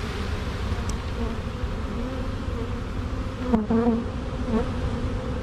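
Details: Swarming honey bees, later found to hold two queens, marching into a box across a small drywall board after being shaken from a tree; steady low buzzing hum with bands of harmonics, a brief louder whine near the middle.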